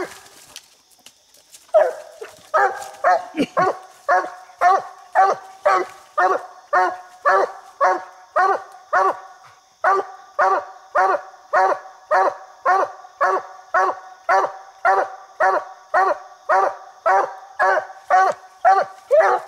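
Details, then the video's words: Coonhound named Bandit on a coon hunt, baying after treeing a raccoon in a small tree; after a quiet start, loud rhythmic barks repeat nearly twice a second, steady and evenly spaced, with a faint steady hum behind. "Bandit Treed Coon Hunting"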